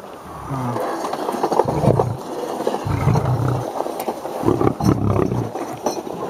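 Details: Aggressive 400 kg male lion giving deep, rumbling growls in repeated low bursts, each lasting around a second with short pauses between, building to harsher, louder pulses near the end; faint background rustle.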